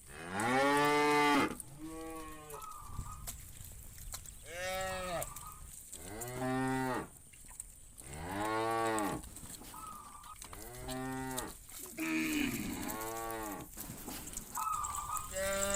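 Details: ['Cattle in a herd of thousands being driven from farm to field in the morning, adult cows calling the herd toward grass; loud, drawn-out harmonic moos repeat every two to three seconds, some rising then falling, with a steady background hiss.']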